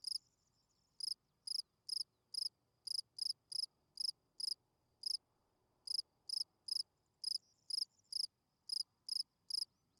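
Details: Shrill field cricket chirps at night, repeated briskly about every half second in a steady but slightly uneven rhythm, quiet low hiss behind.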